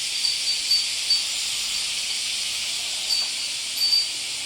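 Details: Cicadas at the summer peak on 31 July 2014, heard from inside a house: a dense, steady high hissing drone without a break, with slight swells in loudness and faint short tones above it.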